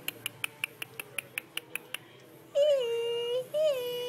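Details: Alvin, a 58-day-old Chihuahua puppy, indoors: about two seconds of quick, evenly spaced soft ticks, then a high, drawn-out nasal whine held near a second, a brief break, and a second shorter whine.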